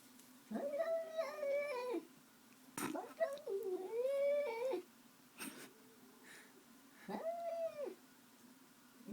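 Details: Domestic cat upset in the morning at another cat sitting outside a window, giving drawn-out wavering yowls with rich overtones. Short sharp hissing bursts break in between cries, and a person's voice is faint in the background.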